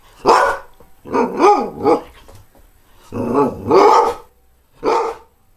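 A greyhound barks in five separate bursts over several seconds. Each bark is clear and harmonic, with a wavering, half-whining rise and fall that gives some of them a yodelling edge.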